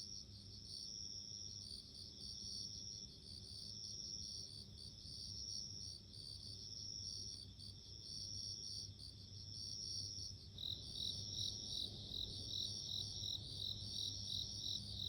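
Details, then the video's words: Bell crickets calling in a nature recording: a bright, ringing high-pitched trill held almost continuously, with a second chorus of rapid pulsing chirps joining strongly after about ten seconds; faint low hum underneath. "【Sounds of insects】自然の音【鈴虫】"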